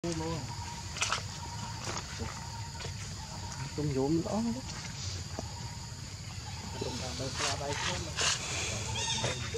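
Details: Baby monkey Leo, hungry and begging its mother for milk while she refuses, gives short whiny harmonic cries in brief bursts, a wavering series near the middle, over steady outdoor background noise and scattered clicks.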